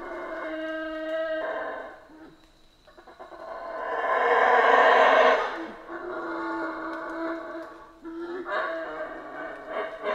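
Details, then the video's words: Howler monkeys in Central American rainforest give deep, roaring howls with layered harmonic tones, swelling into a loud, rough peak midway before easing back into steadier droning calls. "Rainforest Howler Monkeys Sounds"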